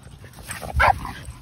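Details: Single short bark from one of two playing dogs, Kumo the Keeshond or his brother Sully the Boston Terrier, during an epic chase; one sharp burst with a faint background hum.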